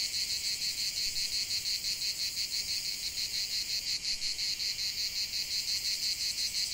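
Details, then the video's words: Cicadas chanting in a natural setting, a continuous high, raspy buzz pulsing quickly and regularly without pause. "45 min de chant des cigales"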